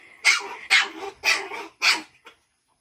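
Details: Shih Tzu x Pomeranian dog barking on first meeting another dog: four sharp, high, evenly spaced yaps about half a second apart, then a soft trailing yip and silence.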